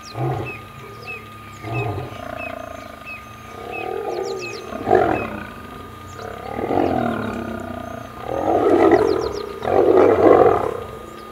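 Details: Old male lion battling young male lions for territory in Kruger National Park; rough snarls and roaring growls build in uneven bursts, loudest near the end, with faint bird twitters throughout.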